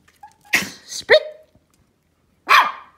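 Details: Pomeranian puppies give short, sharp, high-pitched yaps on the "speak" command while being trained and asking for treats.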